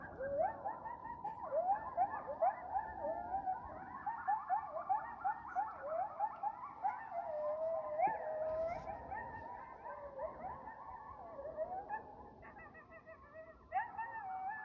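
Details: Wild coyotes howling down at a lake near a house on the evening of January 26, 2025: several overlapping wavering, sliding howls and quick yips blend into a continuous, rising-and-falling group chorus.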